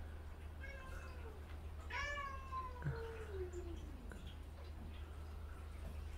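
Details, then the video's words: Cat, described as a gentle female, angry at the kittens bothering her, indoors: a few drawn-out falling meows, one loud harmonic wail near two seconds sliding down, with a steady low hum and a woman talking nearby. "아기 고양이들 때문에 화난 순둥이"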